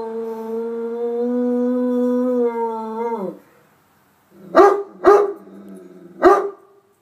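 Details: Responding to a storm siren, a dog gives a sustained level howl that bends downward and fades, then three sharp, spaced barks after a short silence.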